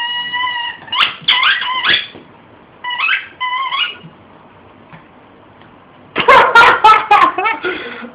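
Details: Oski the shih tzu mauling a squeaky toy in a small room; high drawn-out squeaks in short runs, then a dense loud burst of yips and whimpers near the end.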